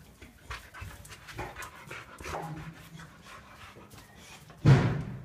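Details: A Boxer named Remo, a family pet at play with balloons, gives low, rapid breathy pants, then a sudden loud thump near the end.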